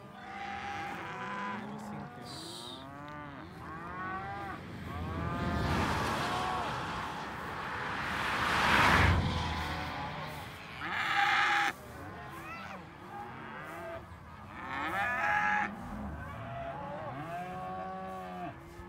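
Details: Several cows mooing, overlapping harmonic calls, some low and steady, others higher and arching, with a broad noisy rush midway that swells and fades.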